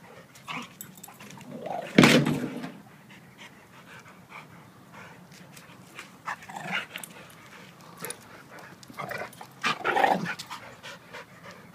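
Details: A 7-year-old blue/red pitbull and a 7-month-old German Shepherd wrestle in play; a loud single bark stands out early, followed by quieter huffs and scuffles, then another sharp bark and yip later on.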